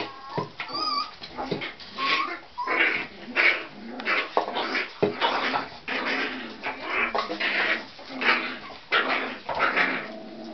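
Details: Young Tibetan Terrier puppies, a litter born October 23, yip and whimper busily, short sharp cries repeated about every second in an irregular chorus, with a few rising whine notes early on.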